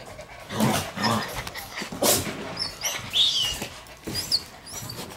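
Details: Shiba Inu puppies crowding toward the camera, some older pups born in November to December among them; a brief high squeal near the middle and a second short squeak later, amid scuffling and rustling.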